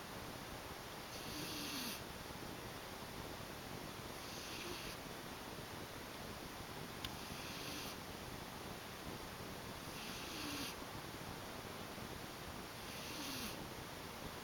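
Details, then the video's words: Sleeping pet cat snoring indoors, soft breathy bursts of noise repeating about every three seconds over a steady background hiss. "the kitty is snoring"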